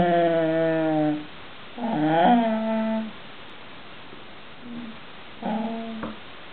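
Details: A female English Bull Terrier 'talks' in drawn-out, moaning whines, complaining because she wants a piece of cheese pie from the table.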